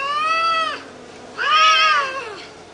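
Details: Cats fighting: two loud drawn-out yowls, the first a level moan that drops away, the second swelling higher and harsher before fading, both rich in stacked overtones.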